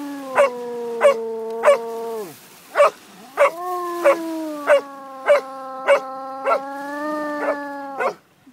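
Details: Basset Hound baying at Island View Beach beside a stick-fetching Springer: a long, drawn-out, harmonic howling tone that dips and restarts, overlaid by short sharp barks roughly every half second.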